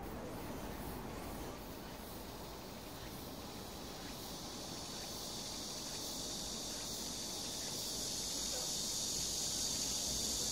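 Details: A cicada's shrill, steady buzzing drone swells over a constant rush of a clear stream in summer at Sosa park, Bucheon, Korea.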